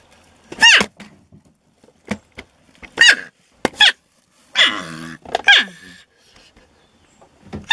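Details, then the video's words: Porcupine in a shed, vocally resisting being moved out. Clustered harsh squeaks and cries with a longer wavering whine near the middle, plus some knocks and thumps. "Porcupines making strange noises (Erethizon dorsatum)"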